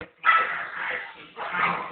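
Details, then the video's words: A purebred English Staffordshire Bull Terrier puppy, three months old, makes weird noises while rolling around: a harsh, raspy, breathy sound lasting about a second, a short pause, then a second raspy burst. "making weird noises"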